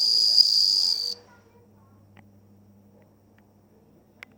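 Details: High, clear ringing from a bell cricket, dated 27 August 2020, lasting about a second before stopping abruptly. Near-silence follows, with a couple of faint clicks at the end.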